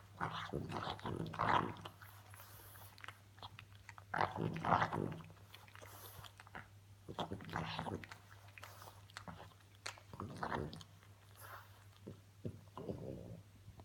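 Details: Female French Bulldog making funny noises indoors: short bursts of snorting, huffing grunts with rough, breathy texture, coming in irregular clusters, over a steady low hum in a small room.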